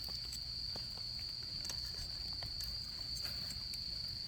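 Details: Continuous shrill trilling of autumn insects during camping season, a single high, even tone that never pauses, with scattered soft pops and crackles from a nearby campfire.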